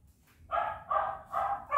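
A Kuvasz gives a run of deep, hoarse barks in quick succession.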